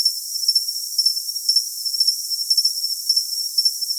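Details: Cricket chirping for tinnitus masking: short, high-pitched pulsed chirps repeated about twice a second over a steady shrill hiss, nothing else audible.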